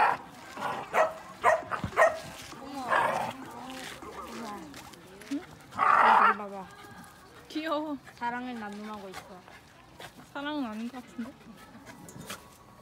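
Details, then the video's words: Shiba Inus playing together rather than fighting, one a male born March 2018, filmed on an iPhone X: early speech and scuffling noises, then wavering, yodel-like whines and howling moans rising and falling in pitch, in short bouts. "시바견끼리 대화하는법 | How shibainu talk to each other"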